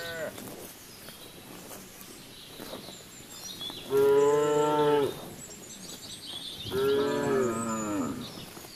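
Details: Cattle grazing in the fields: two drawn-out moos about three seconds apart, each a rich, even tone lasting about a second, over soft rural background noise and faint high calls.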